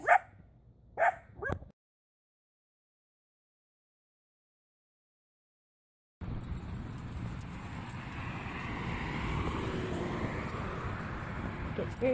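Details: Dock, a 5-month-old Border Collie pup in off-leash training around Tampa Bay, anxious and skittish around loud noises and nearby cars; two sharp barks within the first second, then silence, then steady outdoor rumble like passing traffic.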